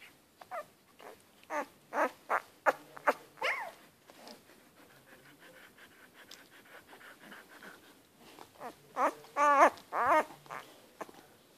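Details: Sleeping one-week-old Siberian Husky puppies making small whimpers and squeaks in scattered bursts. The puppies grow quieter midway, then give a run of louder, wavering high whines near the end.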